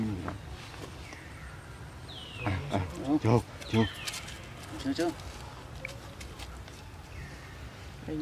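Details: Young monkey Leo, wanting to sleep as his mother tries to train him, lets out sharp cries that swoop down from high pitch, followed by shorter wavering whimpers, with human voices faintly in the background.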